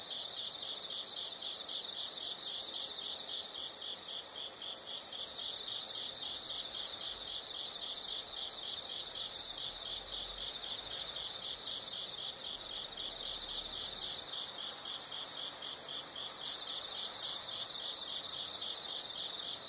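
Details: A chorus of insects calling outdoors, rhythmic high chirps in repeated bursts about three and a half per second, swelling into a stronger continuous buzz during the final few seconds.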